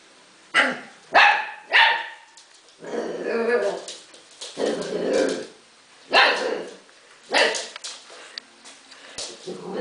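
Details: Arya, a husky puppy, alternating short sharp barks with longer rough growling howl-like vocalizations, bursts spaced about a second apart then longer drawn-out calls, indoors.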